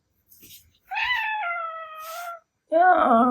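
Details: Male Ragdoll cat, described as sometimes howling like a wolf, reacting angrily indoors when its meow is imitated: a drawn-out wavering meow of about one and a half seconds, followed by a lower voiced imitation.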